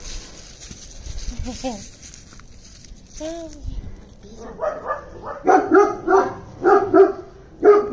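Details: Cassiopea, a young female Maremmano mix born 28 May 2022 and rescued from a field in Italy with her two siblings, barks in a run of sharp, loud barks about once a second after a stretch of human talk and a few brief rising tones.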